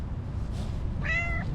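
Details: Cute orange stray cat giving a coquettish meow on seeing the person who feeds it: one short harmonic-rich mew near the end, steady and slightly falling, over low rumbling background noise.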